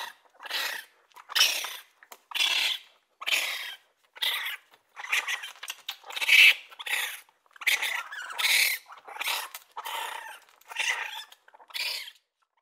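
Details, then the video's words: Raccoon giving a run of about a dozen short, raspy squeals and chattering screeches, evenly spaced around one per second, harsh and breathy with a few whining notes. "Raccoon sounds | The amazing sounds of raccoons | As the raccoon says"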